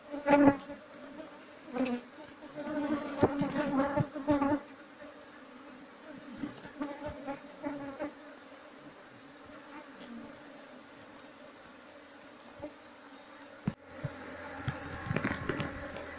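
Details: Wild Asian honey bees (Apis cerana) while the queen is sought so the colony can be moved into a hive box; a steady low buzz with bursts of crackling, knocking handling noise in the first seconds and near the end.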